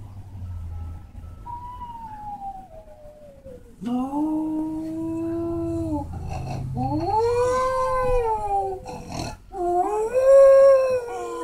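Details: Dog howling, perhaps set off by sounds meant to make dogs howl. A faint, slowly falling tone comes first, then three long, loud, harmonic-rich howls that rise, hold steady and waver, each one higher and stronger, with brief noisy breaks between.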